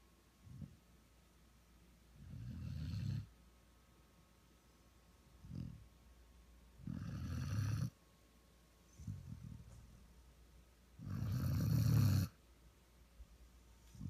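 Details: Year-old Vizsla asleep on a lap, snoring indoors: low rasping snores in bursts about every two to four seconds, three of them long and loud with a breathy hiss on top, softer breaths between.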